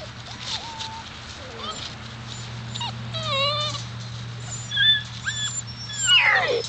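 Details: Whining Alaskan Malamute pups, seven weeks old, offspring of Daphne and Deuce: short rising and falling squeals come in scattered bursts, one sliding steeply downward at the close, above a constant low hum.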